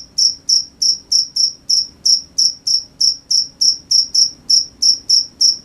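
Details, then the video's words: Crickets heard at night give clean, piercing chirps in a steady train, a little over three per second, against a near-silent background. "The sound of crickets at night"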